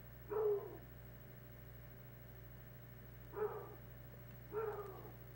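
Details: Hound dogs at play on a wood pile, king of the hill style; three short, ringing barks, the first alone and two more about three seconds later spaced a second apart, with a low background hum throughout.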